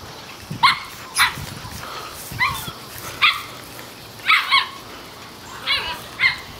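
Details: Four seven-week-old male Toy Schnauzer puppies (two liver parti, one black and white parti, one black and silver) romping and playing outdoors; short high yips come singly or in quick pairs, spaced a second or more apart.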